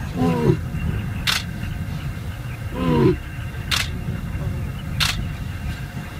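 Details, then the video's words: Lions bellowing in Chobe National Park, Botswana, as two young males challenge two older pride males. Two short, moaning harmonic grunts come about three seconds apart over a low rumble, mixed with sharp camera shutter clicks. "Lion Fight to death"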